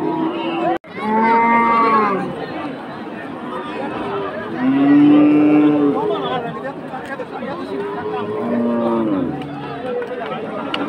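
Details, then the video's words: Cattle fighting during unloading at a cattle market, giving three loud, drawn-out moos with rich harmonics, at about 1, 5 and 9 seconds, over a steady background of crowd chatter and market noise. "Cows fighting. cow unloading videos"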